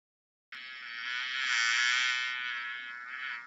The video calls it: 🐝 How does a bee sounds 🐝